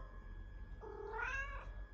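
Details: A house cat responds to its owner's talk with one clear meow, starting low, rising to a strong bright middle and fading, lasting under a second, in a quiet indoor setting.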